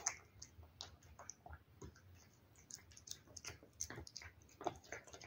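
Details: Cat lapping and chewing wet food, producing sharp, bright ticking clicks in quick irregular bursts, with short pauses and a few louder smacks near the end.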